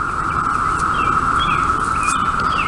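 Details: Chorus of 17-year periodical cicadas, just emerged after 17 years underground to mate and die and swarming everywhere, makes a steady droning hum likened to a car horn, with a few faint bird chirps above it.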